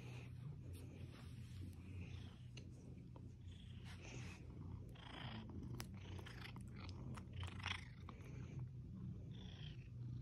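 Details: Skylar, an atypical Seal Point Siamese cat rescued from an animal hoarding situation as a kitten, snuggling; a steady low rumbling purr runs throughout, broken by scattered clicks and rustling sounds.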